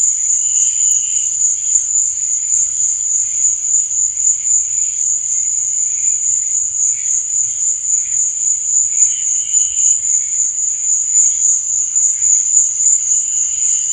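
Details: Continuous high, sizzling cricket chirping after dark, an even wall of sound with occasional brief, softer lower trills breaking through every few seconds; no other animals or noises.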